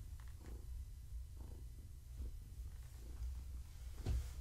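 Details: Evening petting of Gaia, a long-haired tabby pregnant with kittens: a thick, rhythmic low purr rising and falling with her breathing, and a sharp rustle near the end.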